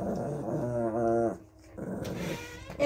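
A Shih Tzu gives a low, rumbling growl with a whiny edge, warning against being handled.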